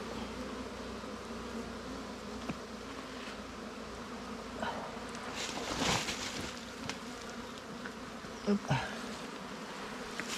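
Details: Wild bees at their nest during a honey hunt: a steady, dense low hum that holds for the full ten seconds, with a few sharp clicks and rustles from handling near the end.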